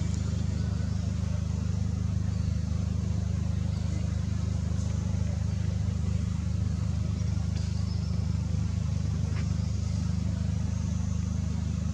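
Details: Steady low engine rumble from a vehicle fills the recording, with faint broadband hiss above and no animal voices.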